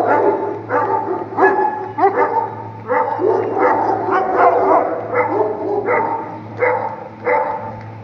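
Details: Bully Kutta in Punjab, Pakistan, kept for hunting, barks continuously and harshly, the overlapping barks arriving slightly more than once a second with uneven spacing, over a constant low droning hum.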